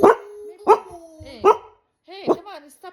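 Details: Male pet dog 'talking', giving drawn-out whiny, wavering yowls that bend up and down in pitch after short bursts, while a woman scolds and talks to him indoors.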